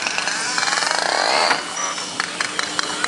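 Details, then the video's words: Pacific white-sided dolphins at Vancouver Aquarium in December 2011 produce echolocation clicks to find food: a rapid, rattling click train, then sharp separate clicks. "These are the clicks produced by Pacific white-sided dolphins during echolocation."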